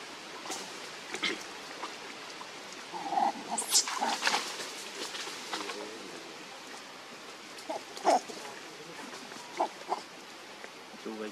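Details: Baby monkey Leo, hungry and crying to beg its mother for milk: sharp high squeals near four seconds, shorter tonal whimpers around eight and ten seconds, set against rustling and low background noise.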